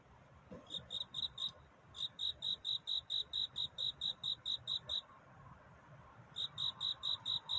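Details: Night courtship song of a cricket, given in bursts: a few high chirps, a short pause, then a long even run of about fourteen chirps, silence, and a fresh burst near the end.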